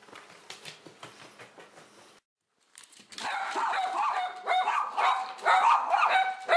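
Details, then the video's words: Two pet dogs, Kabu and Robin, indoors after a walk, excited by a vacuum cleaner. Quiet at first, then a burst of loud, high, harmonic yelping barks and whines in rapid runs. "カブとロビン、掃除機に興奮 Cleaner VS Dogs"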